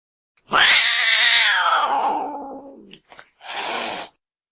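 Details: Angry cat voice meant to attract cats: one long, harsh, rough-edged yowl that starts high and sinks steadily lower, followed by a brief spit and a short breathy hiss.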